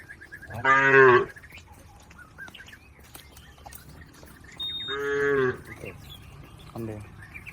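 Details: Cattle herd wading a river toward the farm pen: two strong harmonic moos about four seconds apart, the second slightly longer, followed by a fainter short low call.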